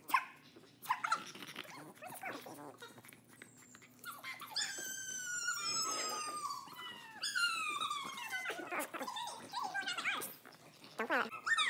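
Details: Chihuahuas at play, shown in fast motion, giving high whining yelps with rising and falling tones and short sharp barks, mixed with clicks and knocks from inside a small room.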